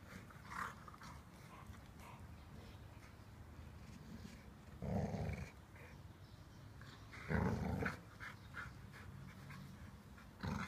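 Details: Blue brindle Cane Corso Inga playing with her sister Laima; two loud, rough, low rumbling growls about two and a half seconds apart, with softer breathy snorts between and a steady low electrical hum throughout.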